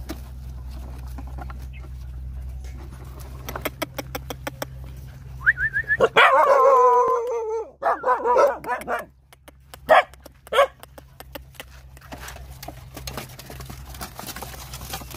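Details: Hungry Rottweiler puppies nursing from their mother; a burst of high, wavering whines and squeals lasts about three seconds midway, framed by clicking, rustling handling noise and a low steady hum.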